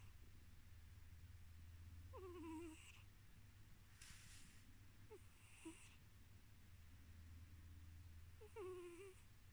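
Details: Tiz, a male pet cat drifting off to sleep indoors, purrs with a low steady rumble while his nose adds three short squeaky whistles that slide downward, spaced about three seconds apart.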